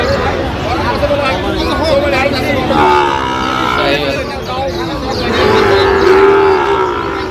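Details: Sahiwal bull calves at the Raniganj cattle market on 24 September 2025 give a low, drawn-out moo late in the recording, over steady market chatter and men bargaining nearby.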